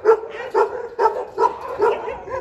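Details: Dobermann at a large kennel barking in a steady run of five loud, harmonic barks about half a second apart, each with a bright mid-pitched core and fading overtones, no other sounds standing out.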